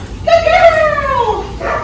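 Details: Female Cane Corso in training for puppy behaviours such as leash pulling, jumping and nipping, San Antonio, Texas; one long, high, tonal whine that slides steadily down in pitch, followed by a brief, fainter second note.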